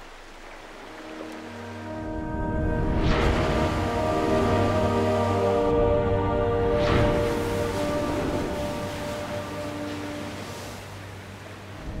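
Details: Tense, swelling orchestral music over a low ocean rumble, with drawn-out sustained tones building and fading, and no animal call stands out.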